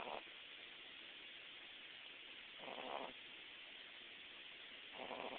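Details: Boston Terrier puppy Hudson asleep, giving raspy, airy snores about every two and a half seconds, three heard against constant low hiss.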